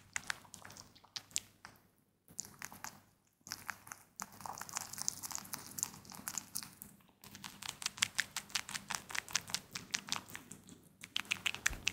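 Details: Rapid crisp crunching and nibbling of a pet rabbit munching tomato indoors, with short pauses and no calls.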